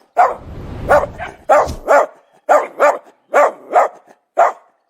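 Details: Dog barking: clear, punchy barks, mostly in pairs, spaced about half a second apart, with a low rumbling sound under the first barks and quiet between them.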